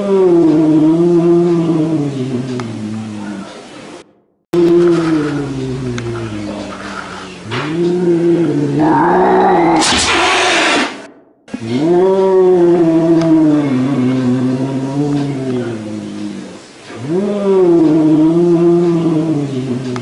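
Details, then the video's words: Angry domestic cat repeating drawn-out, low, wavering yowls separated by brief silences. Each howl swells and bends in pitch, and a sharp, broad hissing burst interrupts the middle of the sequence. "Real Angry Cat Meow & Hiss | Billi Ki Awaaz"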